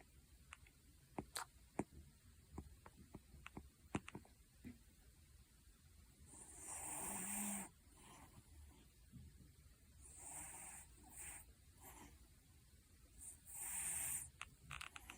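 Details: A sleeping cat snoring, with slow breathy rasping swells about every three to four seconds in the second half, after a run of faint sharp clicks and ticks early on.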